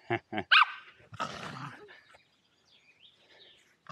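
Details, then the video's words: Welsh Terriers Zorro and Zula playing at Torgo Talu Guesthouse & Farm in Estonia, filmed on an Insta360 Go2: a few short sharp barks open the clip, then a rough growl-like burst, followed by quiet rustling and faint whining tones. "Playing with two welsh terriers"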